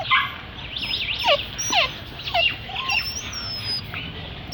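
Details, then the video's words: Puppy in Delhi making cute noises: a run of high, thin whining yelps that slide downward, several overlapping in quick succession with uneven spacing, plus a faint steady high tone in the background. "Puppy making cute noises."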